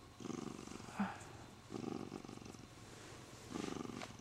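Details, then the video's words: Happy Siamese cat being stroked by its owner, gripping the owner's arm; three loud rasping purr bursts, each lasting about half a second, with a brief click between them. "Happy siamese cat Sean loves to hold my arm"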